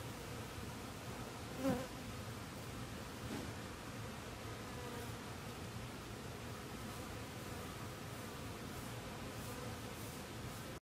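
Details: Western honey bee workers, yellow Italian and dark Carniolan, gathering water from a pond on lotus leaves in warm weather to cool their hive, filmed with a handheld Sony camcorder on a pole; faint, steady buzzing hum with one brief louder pass.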